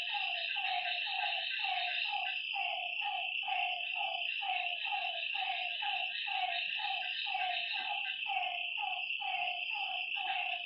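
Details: Lakeside frogs at night give rhythmic, slightly descending croaking notes about once a second, sometimes doubled, while a constant shrill chorus of night creatures fills the higher range.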